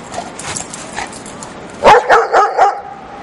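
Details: Golden Retriever playing outdoors in the snow, giving a burst of four quick, harsh barks in the last second and a half after quieter noise; a man's voice talks around it, telling the dog no barking.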